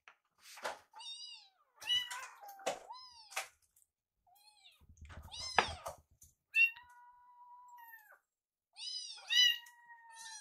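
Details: Young rescue kittens indoors, watching a microwave and waiting for their meal. Repeated high mews of varying length, several stretched into long, level cries, with a soft low thump around the middle.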